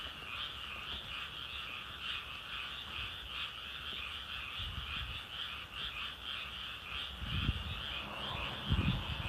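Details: Frogs calling: a steady, even trilling chorus that pulses continuously through the whole stretch, with occasional low thumps and rustles close by.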